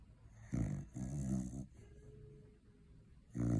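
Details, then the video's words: Loud snoring cocker spaniel after a long day of eating Christmas turkey: two rough, low rattling snores close together, a quiet pause, then another snore beginning. "Snoring Cocker Spaniel"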